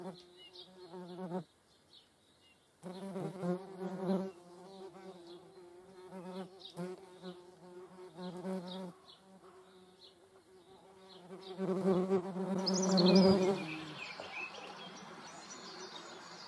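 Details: A median wasp (Dolichovespula media), filmed alongside honeybees in the Eifel, makes a low, droning wing buzz, steady and rich, with a brief pause early on.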